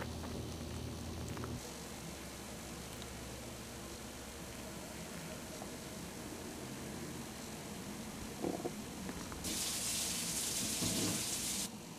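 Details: Steady low rumbling and watery gurgling noise, a short knock near the ninth second, then a burst of loud hissing static toward the end, with no animal voice.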